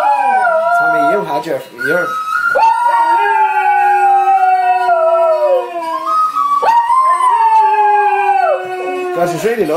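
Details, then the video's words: Pair of domestic dogs in an ear-piercing howling duet, singing along to a favourite song; wavering, quavering howls then long steady held notes sliding gently lower, a fresh howl rising abruptly near the end, with faint human talk and music. "Dogs sing along to their favorite song"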